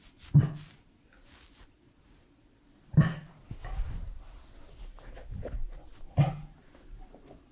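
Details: Edmundo, a three-year-old Pembroke Welsh Corgi, making close-up mouth and eating sounds indoors: four sharp, wet smacks or clicks spaced unevenly over about seven seconds, with soft rustling between them in a quiet small room.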